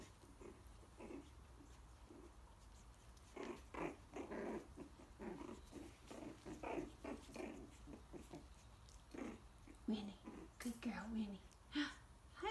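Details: Coton de Tulear puppies almost four weeks old play-fighting in a pen with mom nearby: rough little growls and grunts pile up in quick irregular runs, then sharper squeals toward the close.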